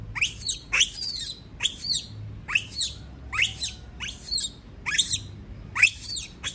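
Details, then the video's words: Distressed monkey that does not want to be left alone, giving high shrill screams, each sharply falling in pitch, repeated roughly once a second in an unbroken series over a low steady background rumble. "Sound of monkey scream doesnt want to be alone, suara monyet teriak tidak mau di tinggal sendirian"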